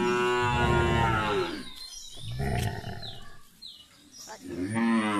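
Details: Punganur cattle where a calf is drinking milk; a long, deep harmonic moo at the start, then quieter rustling and lowing, and a second moo rising in at the end.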